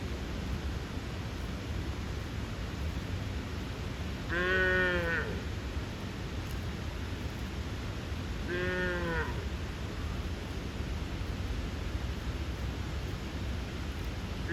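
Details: Bull calf calling its mother with a funny voice so the cows run towards him: two loud, harmonic-rich bawls, each about a second long and roughly four seconds apart, over a steady low rumbling background.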